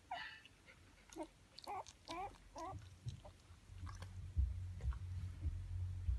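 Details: Japanese Spitz puppies, twelve days old, indoors; thin, wavering squeaks repeated several times in the first three seconds, then low rumbling handling and chewing-like noise takes over.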